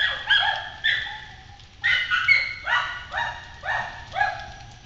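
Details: Kennel dogs upset by an intruder in a yard on Galla Creek, barking with high and deep voices; a string of ringing, slightly drawn-out barks, about seven in five seconds, some overlapping, over low background hiss.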